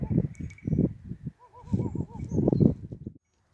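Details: Goat out in nature, giving a short tremulous bleat that wavers rapidly up and down for under a second, set against heavy wind rumble and faint tinkling bells.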